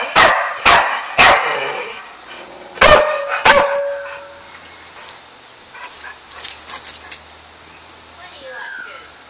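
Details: Bud, a pet dog, gives a quick run of sharp barks, then two more after a pause, before the sound fades to quiet thumps and faint whining.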